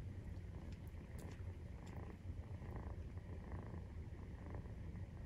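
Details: A 43-day-old Maine Coon kitten purrs in a steady, deep, rumbling drone while nursing.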